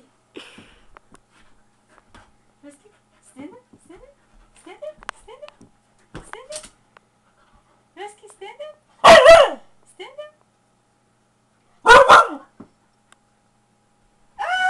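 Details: Siberian husky at play indoors with its owners: scattered soft whines and voices, then two sharp, loud, broadband barks about three seconds apart, and a final rising vocal burst, with human chatter throughout.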